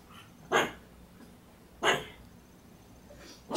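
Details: A female pug barks short, sharp, muffled barks spaced over a second apart, holding a toy in her mouth and refusing to drop it, because she thinks someone is at the door.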